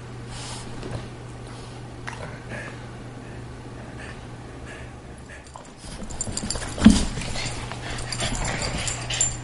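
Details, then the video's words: Two household dogs, a greyhound and a Boston terrier, roughhousing; quiet breathing and faint snorts for several seconds, then livelier scuffling with a brief loud grunt-like burst, all over a low steady hum. "Greyhound playing with Boston Terrier"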